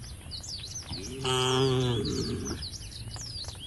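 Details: Single low, drawn-out moo of about a second from a tame cow in a herd walking to a field at the forest's edge, with faint bird twitters behind.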